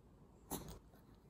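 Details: A Maltese named Jaerong, stubborn at the dining table, gives a single short, sharp sneeze-like burst indoors while being told it cannot eat salty food, with quiet spoken Korean around it.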